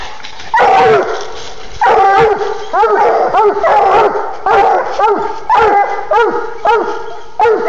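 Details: Two young Bluetick Coonhounds, male and female, treeing a live raccoon at night in a cluster of hemlocks; strong, harmonic bawling barks repeated roughly once a second, overlapping between the dogs, and a man calling encouragement at the start.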